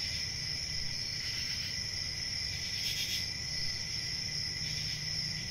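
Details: A steady high cricket trill runs throughout, brightening around one, three and five seconds above a constant low rumble.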